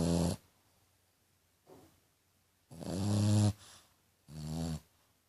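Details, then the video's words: Snoring from a female French Bulldog whose snore is likened to a piglet's; loud raspy snorts with a deep droning core, one faint short breath between them, in a quiet setting. "Bulldog francês roncando!!"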